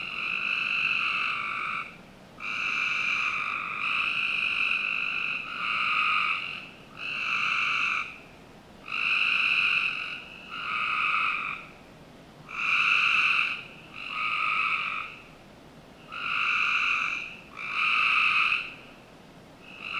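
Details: On a summer night in the backyard of a Northern Virginia home, a frog gives nasal, reedy bleats in bursts of about a second, often in close pairs.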